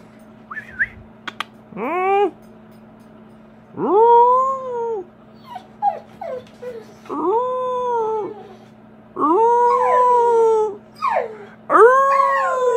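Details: American Bully dog howling in a long series of drawn-out, rising-then-falling tonal wails with whimpering yips between them, each howl lasting about a second, over a steady low electrical hum indoors.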